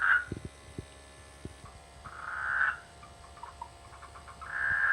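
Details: Frogs in rainy-season rice fields near a village, croaking in brief rasping bursts of under a second, separated by longer pauses, against a faint background hiss and scattered low clicks.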